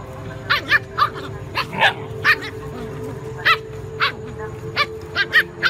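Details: Puppies fighting with big dogs over food, sharp short barks and yips in quick irregular bursts, some overlapping, roughly a dozen across the stretch, over a steady low hum.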